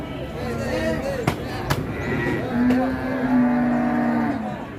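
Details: A long, steady, low moo lasting nearly two seconds from fat cattle at Pasar Ngawi, where three big trucks are loaded with purchased stock. It follows a shorter wavering call, with sharp knocks and murmuring voices behind.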